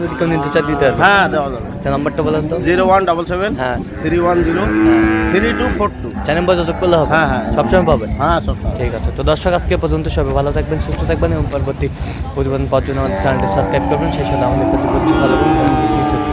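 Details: Improved-breed dairy cows and calves at Ambari Haat livestock market, Dinajpur, on 9/3/25: loud, overlapping low moos with wavering, drawn-out harmonic tones, several animals calling almost continuously, with crowd murmur beneath.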